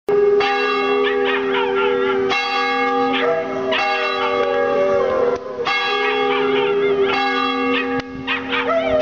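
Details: Buster, a neighbour's dog, howls along as the bell is rung for worship at East Hampstead Union Church, Hampstead, NH. Long wavering howls rise and fall beneath loud, ringing church-bell tones that restart every few seconds.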